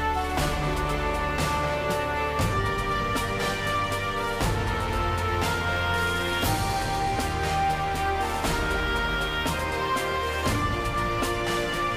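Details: Steady instrumental music with regular beats and sustained tones, with no animal voices.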